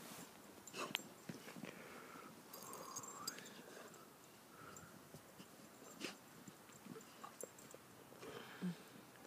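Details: Two dogs at play, Gunner, a 2-year-old American bulldog x boxer, and Achilles, a 7-month-old Rhodesian Ridgeback: scattered snorts and huffs, a brief rising whine-like tone near the middle, with rustling and thumps from their movement throughout.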